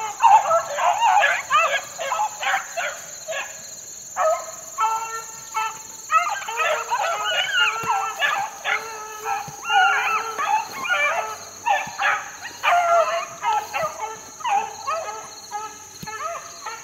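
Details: Young four-month-old Beagle pups worked in the wild in 2013 bay together in a dense, overlapping chorus of yelping, wavering howls. The calls come in bursts, with a steady high whine running underneath throughout.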